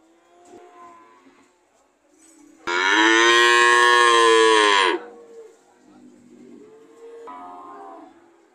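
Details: Single powerful moo of about two seconds from a cow, framed by softer, lower mooing before and after.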